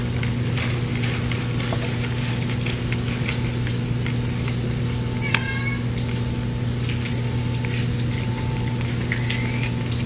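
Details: Ear-tipped stray cats (sakura neko) eating pouch food on a rainy midsummer day; one clear harmonic meow midway and a short rising mew near the end, over a steady low hum and soft rain and eating patter.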